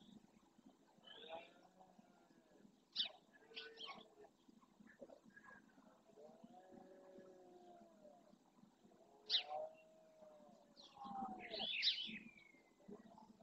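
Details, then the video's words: Red deer stag at dawn in the Doñana National Park marsh, Andalusia, Spain, courting his harem during the rut and roaring to warn rival males off. A drawn-out, arching harmonic roar lasts about two seconds, surrounded by sharp, frequent bird chirps. "Berrea al amanecer"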